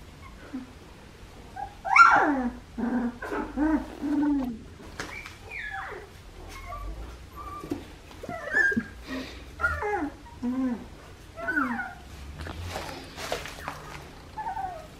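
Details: Australian Shepherd puppies, 2.5 weeks old, from a breeding farm: a litter of high, squeaky whimpers and yelps, short rising and falling cries overlapping one after another indoors.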